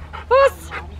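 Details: Poncho, a Rottweiler training for IGP1 protection at Victoria Rottweiler Club on May 9, 2021, gives a single short, tonal bark with a slight whine.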